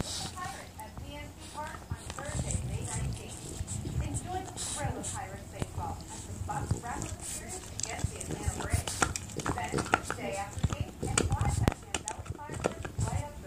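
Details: Small French Bulldog chewing on an elk antler makes wavering, grumbling vocal grunts and whiny growls in uneven runs, mixed with sharp gnawing clicks and scraping throughout.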